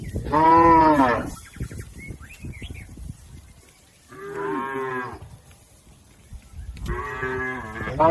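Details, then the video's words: A healthy herd of tame village cattle grazing in a green field, three loud harmonic moos spaced a few seconds apart, with brief bird twitters in the gaps. "Suara sapi Moo"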